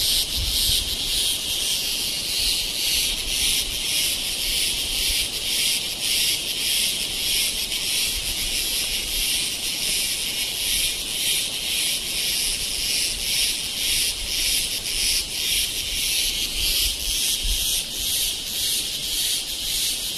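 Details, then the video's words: Cicadas in India at Kodaikanal and Thekkady, recorded in 2014: a dense, continuous high-pitched buzzing drone with rapid pulsing throbs, steady throughout, with faint low rumble beneath. "Noise Of Cicada In India"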